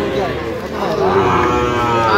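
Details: Sahiwal bull calf at a crowded livestock market during price bargaining, Khulna farmer buying, October 2025; a short moo that rises toward the end, half-buried under loud overlapping human voices.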